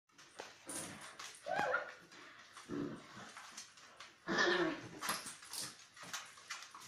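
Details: Beagle puppies in their seventh week, indoors, giving short high whimpering yelps in a few scattered bursts, with soft rustling and shuffling between the cries.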